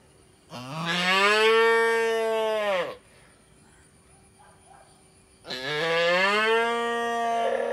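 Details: A calf in an Indian village gives two long, fairly high-pitched moos, each rising at the start and then holding steady.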